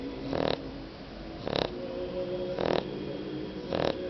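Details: Shar Pei dog snoring while asleep; four rhythmic breathy snores about one second apart, each a broad rasping burst with a steady tonal hum underneath, quiet between breaths.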